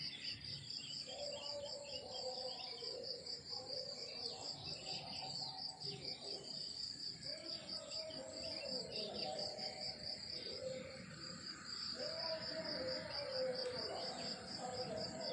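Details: Crickets chirping in the countryside in the morning: a steady, rapid high pulsing trill running throughout, with fainter lower warbling tones drifting underneath.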